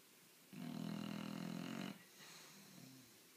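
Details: Loud snoring from a 10-month-old bulldog: a long, harsh, vibrating snore of about one and a half seconds, then a quieter, breathy, rumbling exhalation.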